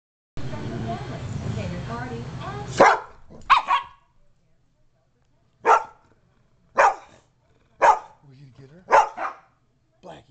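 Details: Poodle barking while confronting two pit bulls: a person talking at first, then sharp single barks spaced about a second apart against a quiet background.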